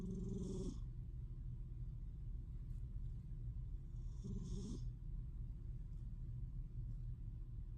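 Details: A female pet cat snoring: two soft rasping breaths about four seconds apart sit over a constant low rumble, and the whole recording is very quiet.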